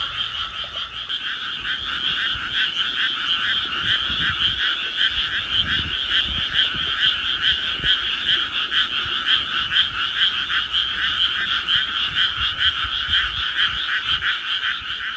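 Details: Night chorus of many frogs at Tsurumaki-nishi Park in Tama City, 16 May 2024, captured with an iPhone: continuous layered rapid croaking at steady high volume, pulsing calls overlapping throughout with no gaps.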